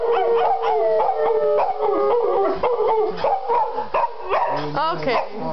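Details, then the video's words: Pet female dog howling along with people singing, wavering tonal howls sliding up and down, mixed with human voices throughout, with a spoken 'ok ok ok' just after. "Cute Dog Howling"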